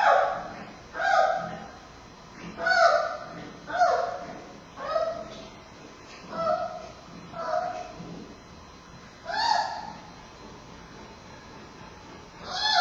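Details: At Smithsonian's National Zoo, captive giant panda cub Bei Bei, male, squeals while struggling to latch during nursing with his heavily breathing mother Mei Xiang, Friday afternoon, 10-9-2015. Loud, nasal, harmonic wails come in bursts spaced one to two seconds apart.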